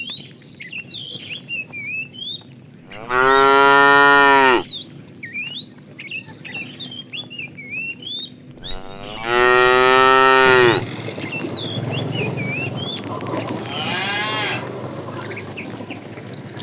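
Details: A herd of tame cows setting off on a long walk toward fresh pasture: two loud, drawn-out harmonic moos, each about one and a half seconds, spaced roughly six seconds apart, with small birds chirping steadily in the background.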